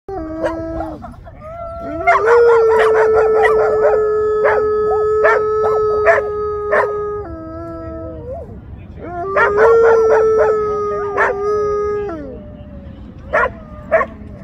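A wolfdog gives long, steady howls that hold one pitch, then slide down at the end.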